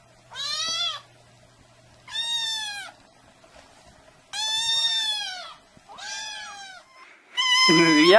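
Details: A cat or kitten from a compilation of meowing pets: clear, separate meows roughly every one and a half seconds, each rising then falling, ending with a louder, sliding wail; quiet background between calls.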